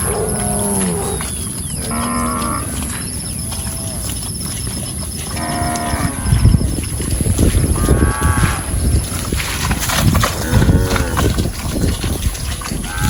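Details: Cows roaming a rice field while grazing; a series of short, harmonic moos in quick succession, several at slightly different pitches from different animals, later mixed with louder low rustling and thumping noise.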